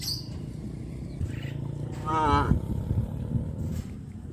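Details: A cow in the countryside calling to its friends while walking to green pastures after morning release from the pen. One brief, wavering harmonic moo in the middle, set against low background rumble.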